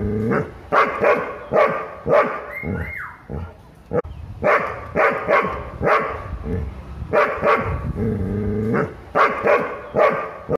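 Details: Doberman sensing a threat, barking repeatedly about twice a second in loud, rough bursts, with a brief rising whine near the third second and faint background music.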